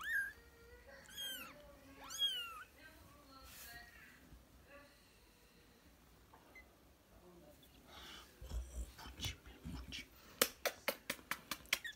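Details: ['British and Scottish kittens playing indoors: two short, high, arching kitten meows near the start, then a stretch of soft shuffling and a run of sharp, rapid tapping clicks toward the end.']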